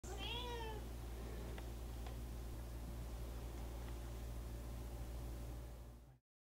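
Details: Domestic cat indoors, trying its first treat and playing with a springy door stopper and a box, gives one short harmonic meow that rises then falls at the start, followed by a steady low hum and faint clicks.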